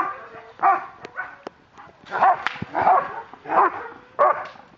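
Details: German Shepherd police dog in aggression control training in Miami, barking in short harsh bursts, several loud barks spaced about a second apart, with a handler giving commands like stay between them.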